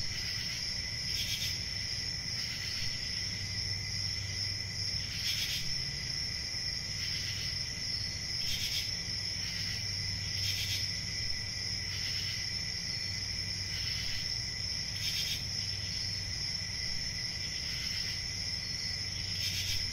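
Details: Steady chirping of crickets, a thin high-pitched ringing with a softer lower band, pulsing louder at intervals of one to two seconds, with a low hum underneath.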